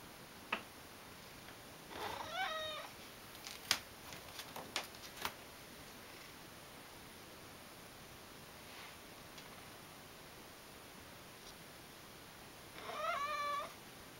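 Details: Ragdoll cat named Mojio, a pet indoors, meowing to ask for churu topping on its food: a harmonic meow near two seconds, another at thirteen seconds, with scattered clicks and taps between.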